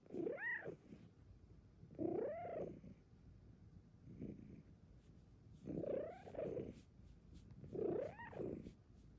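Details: A female Bengal cat curled in a cat cave gives soft, rising-and-falling mewing calls, one about every two seconds; her purrs sound extra loud inside the cave.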